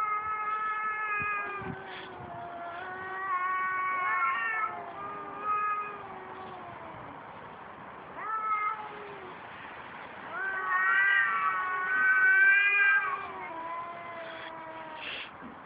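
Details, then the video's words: Fighting cats trade sustained, moaning yowls, some swelling louder and rising in pitch near the end, with a faint background hum. "Cats are fighting"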